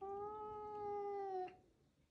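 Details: A playful caracal refusing to give up her favourite chew toy gives a steady, drawn-out, meow-like tone that drops slightly just before it stops.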